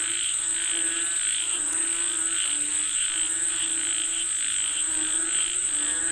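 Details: Frogs calling for rain: overlapping, pulsing croaks with a rough harmonic buzz swell and fade in loose waves every second or so, over a steady, piercing high-pitched whine that runs unbroken throughout.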